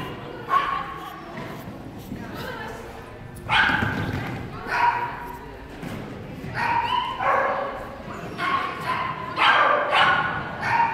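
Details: Barking whippet Hurricane Rendy Toomie Trishel during a clean tunnel-course run at an agility training competition in Parnu, 29.11.2014; sharp, high barks in repeated bursts over about ten seconds, with voices and thuds echoing indoors.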